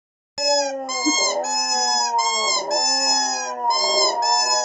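A Boxer–Husky cross dog howls in a steady, sustained tone broken into short wavering segments.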